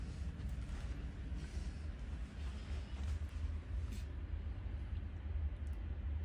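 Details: Steady low rumbling noise like a vehicle or machine, with no animal voice heard.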